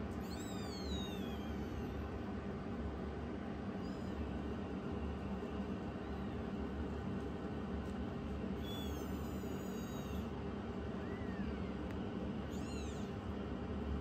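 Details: Rescued youngest foster kitten challenging its older sister kitten: several high, thin meows with rising then falling harmonics, spaced irregularly a few seconds apart over a steady low hum.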